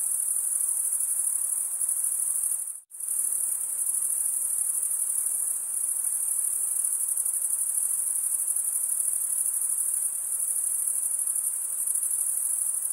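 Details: Steady high-pitched cricket stridulation, a sustained metallic trill from chirping males, briefly cut to silence near the three-second mark before resuming unchanged.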